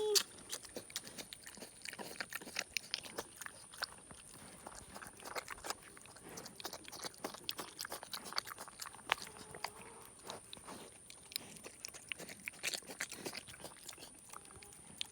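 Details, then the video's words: Indoor recording of a young boar, about five months old and rescued from near a road, eating chocolate donut glaze; busy clicking and smacking chews run on steadily while a brief human voice is heard at the start. "Pig makes funny eating sounds"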